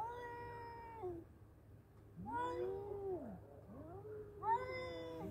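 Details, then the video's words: Two male cats fighting, trading long drawn-out wailing yowls that rise and fall, with overlapping voices and a low steady hum underneath. "Battle of Two Cute Male Cats .(Cat Voice)."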